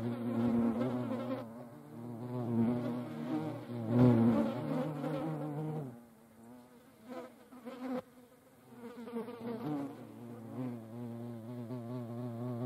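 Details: European hornets (Vespa crabro) fighting each other; a deep, droning buzz with wavering pitch, loudest in surging bursts over the first six seconds, then quieter and fluctuating, with a few sharp clicks near the eighth second.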